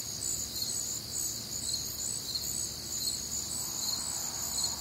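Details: Crickets calling on a humid, warm Midwestern summer night: dense, high-pitched trilling in stacked bands with regular pulsed chirps, a short even stretch with quiet low background noise.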